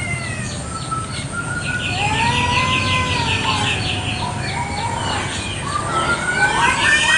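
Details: Kampung cats fighting over territory in a morning garden: low, drawn-out wavering howls slide up and down, growing louder toward the end, over continuous rhythmic high-pitched chirping.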